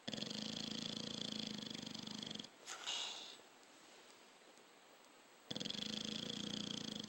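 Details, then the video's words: Dog snoring in its sleep, a harsh vibrating rasp held for over two seconds, then a brief snort and three quiet seconds before the next long buzzing breath. "Snoring dog"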